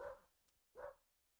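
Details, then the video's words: Distant barking from Holly, a roughly two-year-old border collie next door that barks at everything: two short, muffled woofs almost a second apart, with quiet room background between them. "If you hear a dog barking in the background, that's the neighbor's dog. That's Holly, as I call her, the Barkamus extraordinaire."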